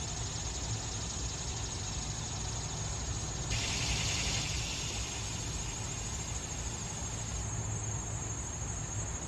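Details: Annual cicadas, males singing to attract females in a yard in summer; a harsh, broad buzz swells for about four seconds then drops back to a thin steady high whine over constant low rumbling background noise.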